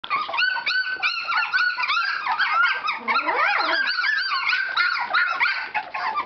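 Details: Standard Poodle puppies active in a whelping box, voicing overlapping high whines and squeals that rise and fall, with one lower sliding yelp near the middle, in a continuous busy chorus.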